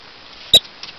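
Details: Rock chuck in rocky terrain of western Colorado on an evening, whistling at people and dogs: a single piercing, clipped high whistle, then faint scuffing.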